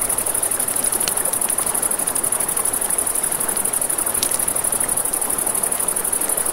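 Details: Nighttime riverside crickets keep up a continuous shrill pulsing drone high above, while campfire crackle and the broad hiss of the river fill the lower range, with a few sharper snaps.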